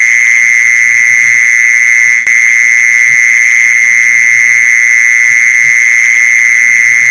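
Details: Continuous mole cricket trill used as a lure for mole crickets, an even, piercing buzz that never pauses; a single sharp click breaks in near the two-second mark, with a quiet low rumble in the background.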